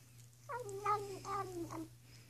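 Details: Indoor pet cat, female, licking her paw and uttering an odd warbling, chattering cry that drops in pitch in several wavy steps over about a second and a half, over a faint constant hum.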